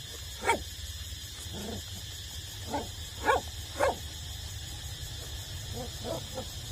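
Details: Eight-week-old puppies still nursing from their mother give short, scattered whimpers and high yips, several sharp bursts within a few seconds, over a steady low electrical hum.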